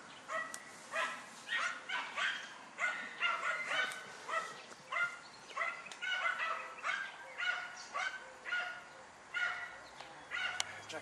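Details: Dunja, a German Hunting Terrier, barks while hunting wild boar: a steady run of sharp, fairly quiet barks at roughly two per second, slightly uneven in timing, with rustling in the background.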